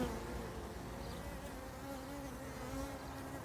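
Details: Low humming drone of a big faux bourdon circling at the hive entrance, mingling with foraging bees on a sunny February day; an even, sustained buzz that swells slightly near the end, with no other clear sounds.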